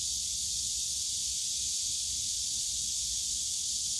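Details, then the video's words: Steady wall of high cicada buzzing in a bamboo grove at Yongsan Family Park on a summer day, even and continuous throughout, with faint low-pitched park hum underneath. "용산가족공원 대나무숲 매미소리"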